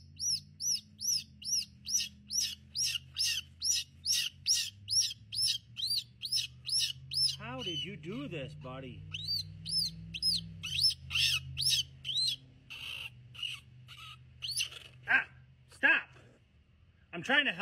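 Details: Squirrel tangled in a big mess while a man tries to free it, biting him; a second squirrel is found. Rapid run of sharp, high squeaks about twice a second, then a man talking, followed by more scattered squeaks.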